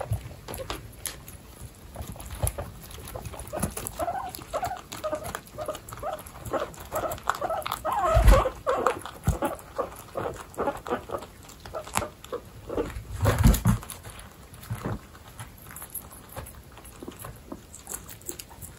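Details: Baby guinea pigs kept indoors with pregnant guinea pigs, part of a household group of 29 pets. Soft, tonal squeaking calls cluster in the middle section, mixed with rustling, bumps and handling noises.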